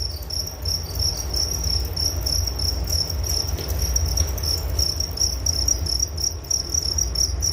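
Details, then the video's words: Crickets chirping in a steady, high-pitched, finely pulsed trill that never pauses, with a faint higher overtone, over a constant low rumble in the background. "Relaksasi Suara Jangkrik Penghantar tidur || Nature Sound of Crickets"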